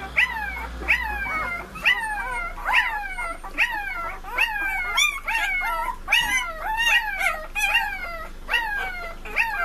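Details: Several puppies howl together. Arching, falling cries repeat about twice a second, and high overlapping voices blend into a continuous chorus of yelping whines.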